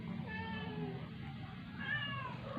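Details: A sick rescued stray cat, kept indoors, that had not eaten for 12 days and struggles to breathe with a cold and cough after a vet visit. It gives two faint, drawn-out, wavering meows over a steady low hum.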